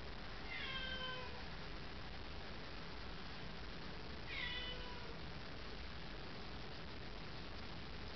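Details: A pet domestic cat meows twice, about four seconds apart. Each call is a short, clear, falling meow with rich overtones, over a steady background hiss.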